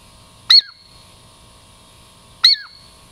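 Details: Douglas squirrel named Girl Squirrel, a friendly native Puget Sound lowland squirrel, approaching for a treat; two sharp high chirps, each dropping into a short descending tail, about two seconds apart, over a quiet background.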